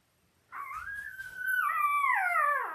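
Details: Belle's Labrador Retriever puppies, five days old, five males and three females born October 15, 2023, on a live puppy cam: one loud, drawn-out whine that holds steady, then wavers and slides downward over two seconds in a quiet indoor room.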